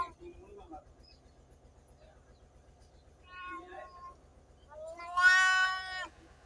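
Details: Cats and kittens meowing: mostly quiet, then a faint short meow and finally one loud, long, bright meow near the end, over a low hum.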